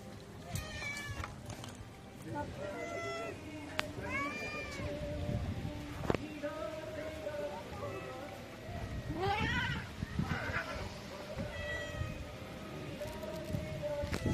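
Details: Hungry street cats meowing before being fed, several arching harmonic meows scattered through the clip, one drawn-out wavering cry near the middle, over a steady low background hum and some clatter.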